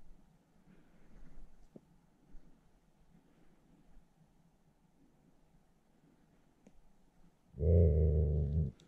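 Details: Wild wolf caught in a noose snare trap, attacking during capture for release; quiet rustling gives way near the end to one loud, harsh, low growling bark lasting about a second.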